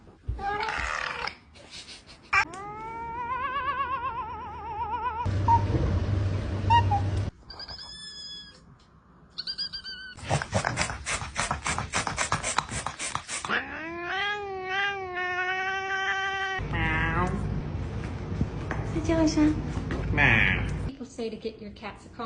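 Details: Domestic cat making many varied calls: wavering meows, rising and falling yowls, a rapid pulsing stretch and some noisy bursts, with brief pauses between them, indoors.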